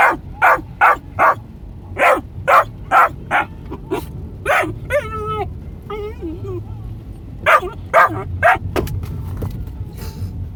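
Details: Three-and-a-half-month-old male Australian Shepherd puppy with a red merle coat, in a car: quick bursts of high yappy barks, broken in the middle by thin, wavering whines, then more barking.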